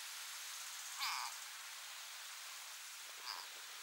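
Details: Frog locked in a struggle with a grass snake trying to swallow it lets out one sharp, harmonic-rich scream. A much fainter, shorter squeak follows about two seconds later against a hissing outdoor background.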